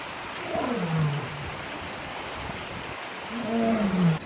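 A lion gives two deep, groaning roars that slide downward in pitch, a few seconds apart.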